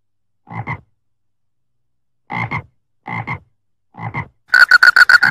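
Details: A frog in rice fields gives spaced, rough double croaks, then bursts into a louder, rapid run of six sharp, ringing croaks at the end.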